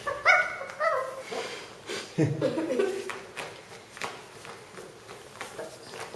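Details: A Shih Tzu puppy playing with a new toy gives a few small, high-pitched barks and yips indoors.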